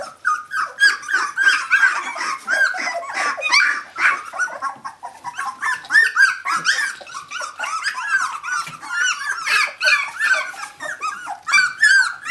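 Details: Litter of 17-day-old puppies belonging to Brenda, calling for their mother indoors; a dense chorus of overlapping high, squeaky whines and yelps, rising and falling, with several pups crying at once and no pauses.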